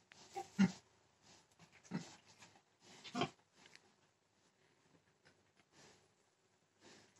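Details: A hog gives three gruff, breathy grunts about a second apart, followed by quieter snuffling sounds.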